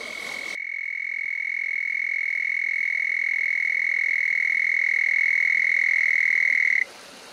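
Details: Close to a creek in a remote desert canyon at night, a frog produces one long, high, pure-sounding trill that grows slightly louder over about six seconds before stopping abruptly.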